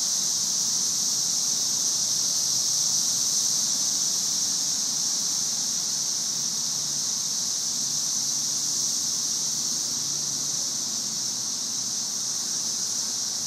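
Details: May 2011 cicada invasion with thousands of insects overhead: a loud, level, sizzling buzz, almost white noise, sustained unchanged for over thirteen seconds.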